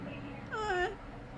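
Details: Ruby, a calico kitten found in a corn field, calls during her morning ritual indoors after being fed: one clear harmonic meow lasting about half a second, rising then falling, with a woman's talk before and after.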